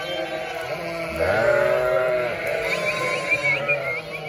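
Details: Crowded bleating from a flock of 900 sheep and 900 lambs: a long, steady, nasal bleat in front, with rapid high lamb calls and lower wavering voices layered behind it.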